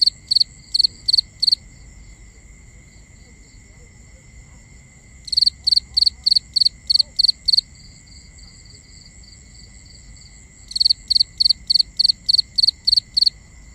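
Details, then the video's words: Crickets at night in a binaural recording: bursts of rapid, high chirps, each made of three or four quick pulses, come in three runs of several seconds separated by quiet gaps, over a steady high hum and faint low rumble. "Cricket Conversations | Binaural Nighttime Ambience"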